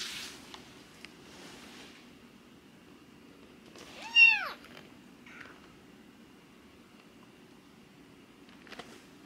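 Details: Fostered kitten, one of a rescued sister-and-brother pair, during toilet training; a single loud, arching meow midway, with a few faint shorter mews and quiet rustling around it.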